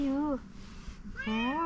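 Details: Fluffy calico cat meowing after seeing a person: a short falling meow, a brief pause, then a rising one, with quiet speech in between.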